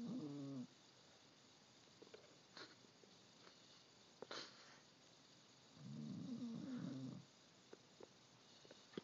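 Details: Pet dog snoring loudly indoors: two drawn-out, rough, low rattling breaths about five seconds apart, each lasting roughly a second, with quiet room noise and faint clicks between them.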